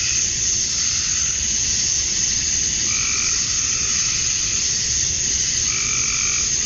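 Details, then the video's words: A Georgia summer evening with male cicadas chirping for mates: a steady high hiss-like buzz dominates, while two short, lower, harsher calls break in near the middle and at the end. "Cicadas at Dusk, Summer Night"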